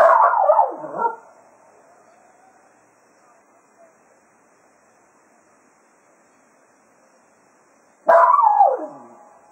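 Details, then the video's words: Serenading the hounds after foxhunting at Quail Roost, Cato the Jack Russell Terrier gives a wavering howl with a sharp downward break. About seven seconds of near quiet follow, then a second loud, drooping howl. "Cato Serenading the Hounds after a Day of Hunting at Quail Roost"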